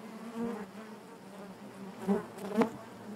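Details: A short stretch of bees buzzing within their hive: a low, even drone, then two quick louder buzzes near the end as single bees pass close.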